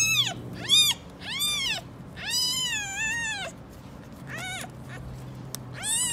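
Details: Stray street cats, a mother cat protecting her kittens from anyone approaching: a quick series of high arched meows, then a long wavering drawn-out meow, a pause, and more short shrill meows at the close.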